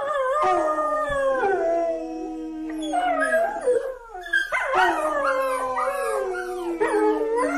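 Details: Howling dog, several overlapping drawn-out tonal howls that slide downward, then a burst of wavering, rising yip-like howls; dense harmonics throughout, no other sounds.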